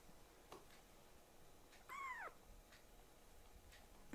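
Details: Young rescued foster kitten, Ashiro or Akuro, pleading for its nail clipping to stop; a single clear, bent meow in the middle, with faint taps and room hiss around it.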